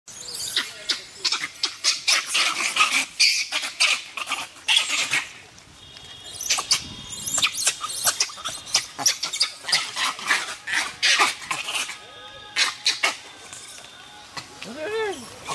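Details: Gray (Hanuman) langurs scream harshly and repeatedly as two rival troops, each with an alpha male and about 8–10 females, fight over food, habitat and females, amid crashing and rustling.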